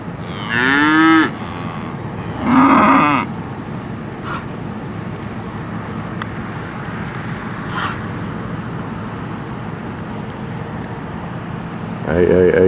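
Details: Steers from AAA Farms, Marianna, Florida, sold through Moseley Cattle Auction in August 2013: two loud, short moos in quick succession, a long quiet gap with soft background noise and faint knocks, then a third moo beginning at the end.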